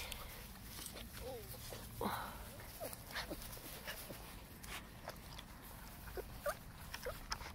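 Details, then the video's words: German Shepherd puppies giving a few faint, short yelps and whines, with soft scuffling and a person talking quietly nearby. "German Shepherd Puppies"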